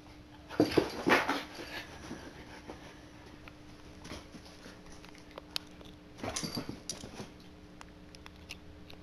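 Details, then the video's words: Siberian Huskies playing, giving two short rough bursts of growly, whining noise about five seconds apart, with quiet room sounds in between. "Huskies Playing"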